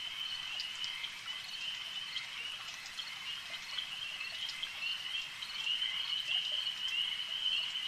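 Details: Lakeside frog chorus, many voices merging into a continuous high-pitched trill that swells slightly louder toward the end, with scattered soft ticks over it.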